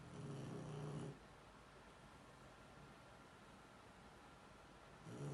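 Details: Shar Pei asleep, letting out a low, buzzy, grating snore lasting about a second, followed by a long quiet gap before the next snore begins at the very end.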